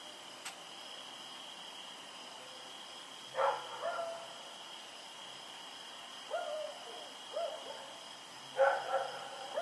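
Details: Rex, a dog running around in the night, recorded 7 October 2018, gives two loud harsh barks about five seconds apart with softer shorter yelps between, set against a constant high-pitched insect drone.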